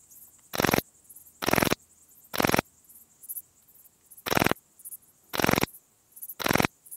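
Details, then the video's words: Graceful bush-cricket, Pachytrachis gracilis, singing at Vela Ucka, Croatia, on 30 July 2023: short broadband chirps repeated roughly once per second, each about a quarter second long, evenly spaced with brief gaps, over a faint background hiss. "Pachytrachis gracilis -- Zierliche Südschrecke -- Graceful Bush-cricket"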